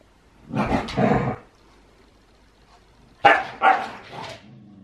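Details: A husky at play while wrestling gives two short, raspy barking outbursts, each a quick double yelp, separated by a couple of seconds of near silence.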